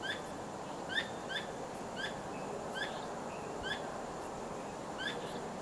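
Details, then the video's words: A squirrel at night, wagging its tail and not trapped, gives sharp, short chipping calls repeated in loose bursts over a steady night-time hiss. "聲音地景-松鼠的叫聲-晚上（只有聲音）"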